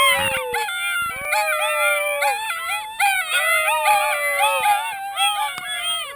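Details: Several sled dog puppies, learning to howl in September 2012, howl together in overlapping, wavering high-pitched tones.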